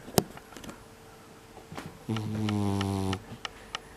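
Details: Bunta, a brown tabby mixed-breed house cat, snoring loudly indoors, December 2021: one long, rough, droning snore of about a second, low and buzzy with stacked overtones, framed by scattered soft clicks and room noise.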